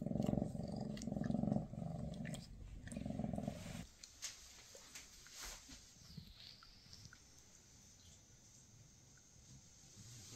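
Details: Maine Coon mother Freya with her kittens before they move to new homes; a strong throbbing purr in breath-paced bursts for about four seconds, then quiet with faint rustling.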